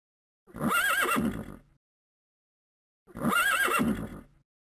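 A horse neighs twice, each a shaky, wavering whinny lasting just over a second, with a short silent gap between them.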